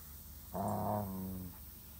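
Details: German Shepherd, one of two dogs (Samson, 5 months, or Odin, 5 years), after getting hurt: a single drawn-out, harmonic whine lasting about a second, steady in pitch and fading at the end, over quiet room noise.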